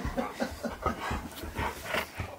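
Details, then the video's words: Impatient pet husky indoors demanding to leave: a run of rhythmic breathy pulses with soft whimpering tones, about four per second, rising and falling in loudness throughout. "Impatient Husky Demands We Leave!"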